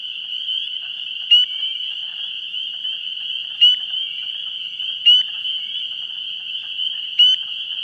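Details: Vernal pool frog chorus in pre-spring, 17 March 2016: a continuous shrill high ringing from many callers, with four louder nearby calls, each a short upward-sliding peep, standing out at irregular intervals of one to two seconds.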